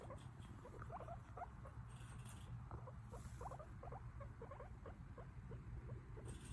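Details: Guinea pig chatting away in a steady stream of brief, soft chirps and clicks, repeated several times a second over a low background hum.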